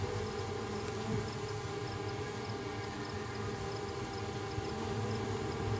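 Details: A swarm of honey bees leaving their hive forms a dense, steady, low droning hum of many wings filling the air.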